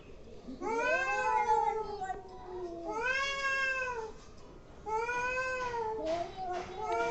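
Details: Angry domestic cats making weird noises: long drawn-out wailing yowls with rich harmonics, rising then sagging in pitch, four swelling cries of one to two seconds each, indoors, no other sounds.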